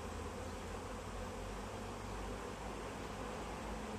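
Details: Swarming honey bees that settled in a tree and are being collected into a bag, heard as an unbroken, thick droning buzz filling the low and middle range.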